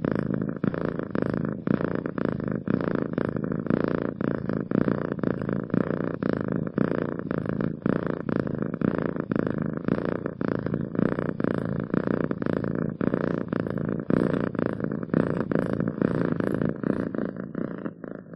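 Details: Cat purring steadily for a long stretch, an even vibrating drone pulsing with each breath in a regular rhythm, loud and close with no background sounds.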